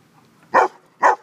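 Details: Dog at a dog park on a sunny Saturday barking twice, short and punchy, about half a second apart, over a faint, quiet background.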